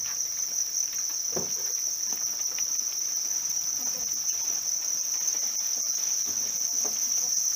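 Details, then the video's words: House crickets being raised, giving a steady, unbroken high-pitched ringing trill that holds one even tone throughout, with faint scattered ticks and rustles underneath. "វិធីចិញ្ចឹមចង្រិតគ្រួសារ | How to raise a family cricket"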